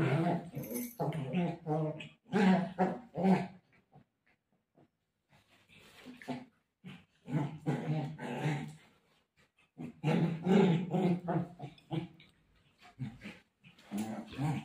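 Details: Golden retriever playing with its owner and described as desperate to find mom. It makes repeated rough, groaning, talk-like grumbles in long clusters, broken by a quiet pause midway, with faint speech-like sounds mixed in.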